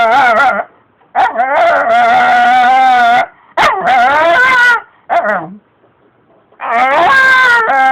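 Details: Pet Shiba Inu pleading insistently for extra treats, as if protesting: five bursts of loud, wavering, harmonic whine-howls, each under a second to two seconds long, separated by short silences, some rising and falling like speech.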